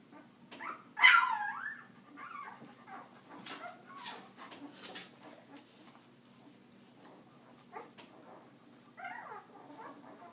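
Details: Puppies from Leia's litter during walking time: one sharp high yelp near the start, scattered soft squeaks and whimpers, then a short burst of whining yips toward the end over faint background hum.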